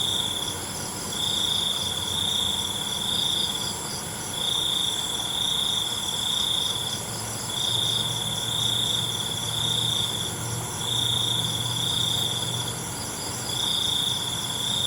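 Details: Crickets at night, one sustaining steady high trills about two seconds long that pause and resume roughly every three seconds, over a dense shimmering chorus of other insects pulsing higher still.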